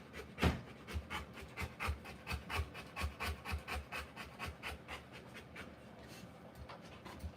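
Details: Rottweiler in the middle of a live birth of puppies, panting hard: a strong opening gasp, then regular raspy breaths close to three per second that ease off and soften near the end.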